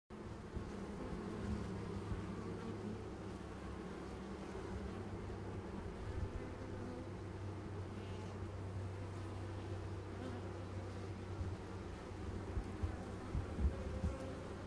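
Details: Honey bees making a continuous, dense, low humming buzz from many insects, steady throughout with small swells in loudness and no clear pauses.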